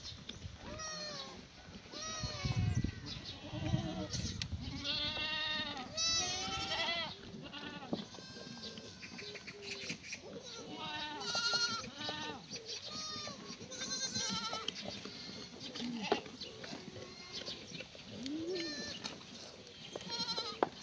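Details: A herd of black goats in the exercise yard of a free-range farm in Gimhae, Gyeongnam, on a clear morning, 28 May 2019; many goats bleat at once in a dense, overlapping chorus of nasal, wavering calls with shuffling beneath.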